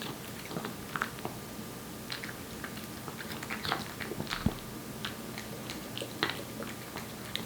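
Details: Wet food being eaten by Aeppi, a young Korean Shorthair cat adopted in November: moist smacks and crunchy bites arrive irregularly, several per second, with an occasional louder chomp.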